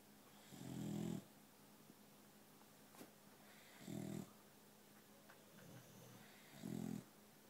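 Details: Boxer dog, adopted a week earlier, sleeps indoors while a second boxer snores on another couch. Low, rumbling snores with a muffled, gorilla-like quality come roughly every three seconds over a quiet room hiss.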